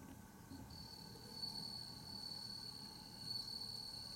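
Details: Bell cricket on 15 September 2021, heard faintly: a thin, steady, high-pitched ringing tone that runs almost unbroken for about four seconds over soft low background noise.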